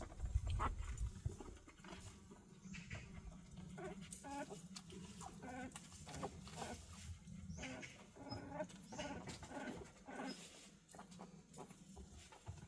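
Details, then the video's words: Newborn puppies in a litter of six (four white, one black, one yellow) just born to a mother dog. Faint high squeaks and whines repeat quickly and irregularly over a low rumbling background noise. "강아지를 낳았네요"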